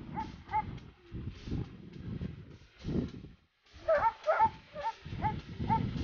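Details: Barking Dobermann at the 14.09.2014 Dobermann Day of the Latina section of an Italian breed association: two quick barks, a pause with voices, then a burst of rapid, ringing barks amid chatter.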